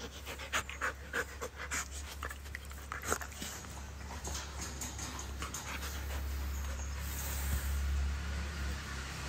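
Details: Siberian Husky kept as a pet in Kerala, breathing hard with rapid rhythmic pants in the first half. The panting then fades into a constant low electrical-sounding drone.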